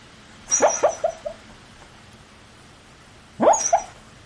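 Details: Dog talking in its sleep, recorded close by with a PowerShot SX30 IS: two brief mumbling bursts, each a few quick whiny syllables fading out, separated by nearly three seconds of low background hiss.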